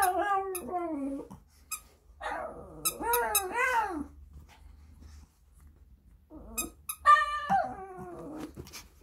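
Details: Shih Tzu puppy Sunny vocalising along to JYP's "I have a girl": short arching yelps and whiny howls in bursts, separated by quiet gaps, with faint clicks between.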